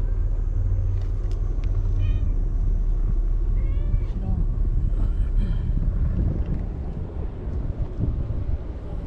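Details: Feral white cat on seaside tetrapods in Japan, beside another cat called Okappa-chan; several brief curved meows come close together in the first half over heavy wind noise, while a woman speaks.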